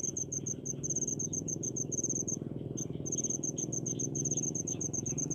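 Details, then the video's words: Crickets calling in rice fields in the countryside: high, rapid pulsed chirps in quick runs, briefly pausing near the three-second mark, over a steady low background rumble. "SUARA JANGKRIK DI PESAWAHAN"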